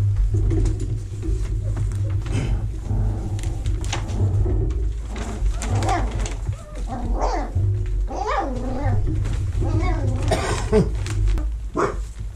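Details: Vizsla puppies in their whelping box in early October 2020, while the box is cleaned and vacuumed; high, wavering whines and squeals rise and fall, mostly in the second half, over a constant low machine rumble.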